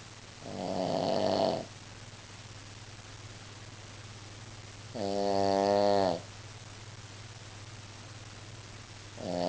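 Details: Shih Tzu, female, snoring during a nap: slow, drawn-out nasal snores about a second long, each rising and buzzing, repeated roughly every four seconds over a steady low hum.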